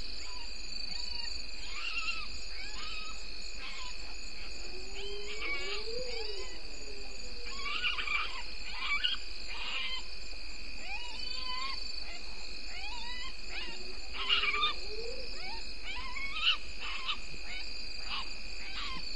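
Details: Galago heard before dawn at 03:33, 2 September 2019, at a waterhole on Djuma Game Reserve, Sabi Sand, South Africa: scattered rising-and-falling wails, one clearer lower arched cry near the middle, under constant high insect trilling.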